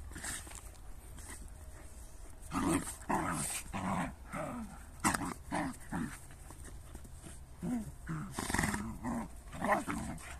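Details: Dogs, a Jagdterrier and a shepherd, heard as a string of short harmonic barks and whining yelps, often rising then falling, coming in quick bursts about every half second to second over a constant low rumble.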